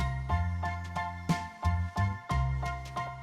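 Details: Tinkling jingle-like music with steady bass notes and repeated chime strikes; no animal voice is heard.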